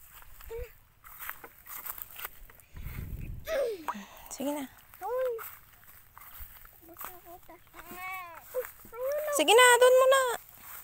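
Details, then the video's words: Goat being given a drink, bleating several times in wavering, quavering cries, the last one loud and drawn out near the end; people talking and laughing throughout, with footsteps outdoors. "mag papa inom na daw sia ng kambing"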